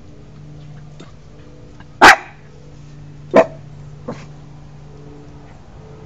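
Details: Puppy filmed alongside a tortoise gives three short, sharp barks spaced over several seconds, the first loudest, the last a soft yip, over a steady low hum.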